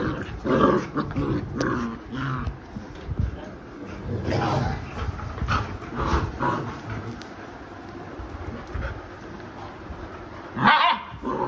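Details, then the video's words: Labrador Retriever named Alexa, a mother dog disciplining her rowdy puppies; scattered rough growls and short yips rise over low rumbling scuffle noise, with a person talking nearby and a sharp louder yelp near the end. "Aggressive dog |बदमाश बच्चों को माँ ने सिखया पाठ"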